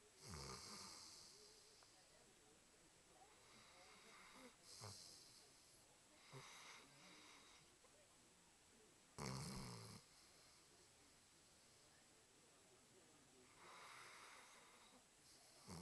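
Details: Diesel the dog snoring while asleep: breathy, broadband rasping bursts return every four to five seconds, with quiet hiss between breaths.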